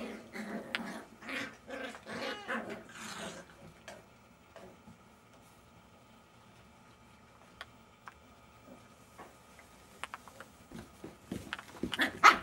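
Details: Jack Russell Terrier puppies growling and grumbling in bursts of rough, low, noisy sounds through the first few seconds, then quieter scuffling with occasional sharp clicks and a few brief higher yips near the end.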